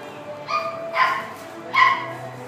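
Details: Maltese and Poodle mix dog, a white female born 7 August 2016, gives three short, high yipping barks about half a second to a second apart over soft steady background music.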